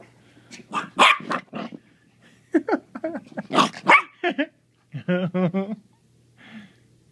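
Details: Playful four-month-old Maltese puppy, hyper, making bursts of high yaps mixed with whiny growl-like vocalizing, a short harmonic whine near the end, with brief human voice between.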